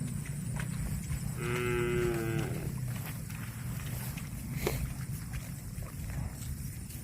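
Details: Cattle eating grass: a single moo lasting about a second, a steady, rich-toned, fairly high lowing that dips slightly as it ends, set against a constant low rumble and scattered sharp clicks.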